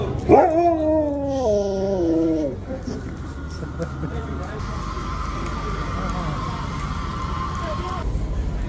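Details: A Siberian Husky at a busy daytime Christmas market in Manchester "talks" in a drawn-out, warbling woo-woo howl that rises and falls for a couple of seconds, followed by crowd chatter and a background hum.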